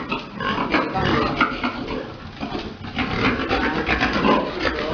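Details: Farm pigs during breeding, a big boar mounting a sow; rapid, choppy grunting in quick irregular pulses, harsh and broadband, with possible voices mixed in.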